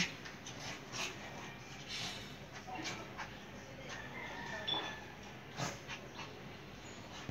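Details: A Shih Tzu gives short whimpers and yips amid scuffling noise during a friendly match.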